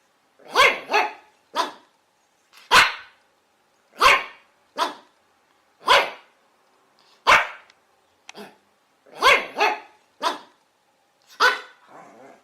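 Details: Chihuahua dog barking repeatedly: sharp, high yaps roughly every second or so, often in quick pairs, steady and insistent over the whole stretch, with quiet gaps between and no other noises.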